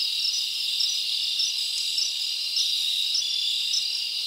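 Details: Many crickets chirp through a summer night in the forest, a steady high-pitched trilling wall of sound with small chirp accents popping out roughly twice per second.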